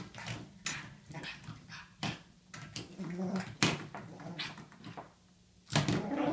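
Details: Pug named Ollie playing wildly with his toy inside a small room, giving short snuffling growls and whiny grunts between sharp thuds and scuffles.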